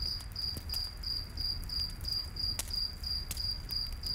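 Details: Night-forest cricket chirping in an even, high-pitched pulse roughly three times a second, while a campfire snaps and crackles now and then against a low background roar.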